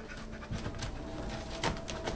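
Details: Dog panting in quick, breathy, uneven bursts of rough noise, with a few louder puffs near the end and a faint steady hum underneath.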